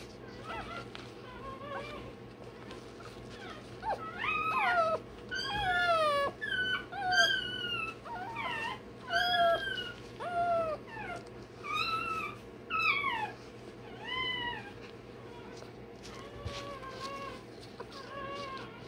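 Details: Day-old Rottweiler puppy squealing during tail docking and dewclaw removal: a run of loud, arching whines, each rising then falling, about one per second, over a steady low hum.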